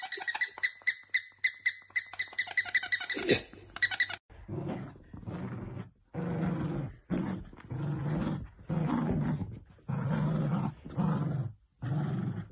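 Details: Dachshund puppies at play: rapid clicking, scratchy high sounds for four seconds, then a run of low, rough growls in bursts of about a second with short gaps.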